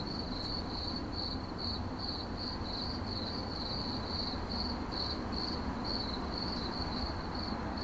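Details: Continuous cricket chirp in short pulsed bursts, several per second, high and shrill, with a dull low background hum throughout.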